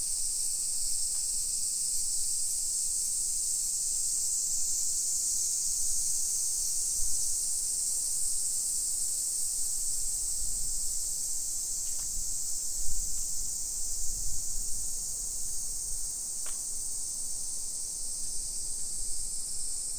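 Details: Cicada chorus along a hillside residential street near Nagoya, Japan, at 1 PM in late July 2021. A continuous high sizzling drone holds throughout, while low thumps and rumbles from walking and the street rise midway, plus a couple of brief clicks.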